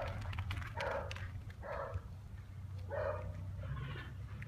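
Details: Dog at play, giving several short moderate barks spaced about a second apart over a steady low rumbling background.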